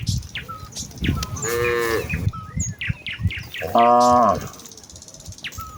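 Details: Herd of village cows walking to the fields on a leafy morning path, calling out to each other: two drawn-out moos about two seconds apart, with frequent high bird chirps and tweets between them.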